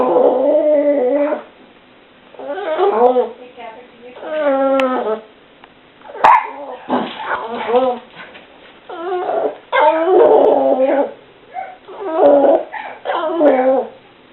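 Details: Pet dog making mild, funny whining noises indoors: long wavering, high-pitched whines in repeated bursts, some sliding up and down, separated by brief pauses, with a voice speaking in between.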